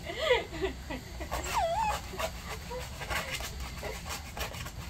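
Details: Maltese dog reacting during nail care, giving thin, wavering whimpers that bend up and down, several short cries in the first two seconds, then quieter whines over a faint background hiss.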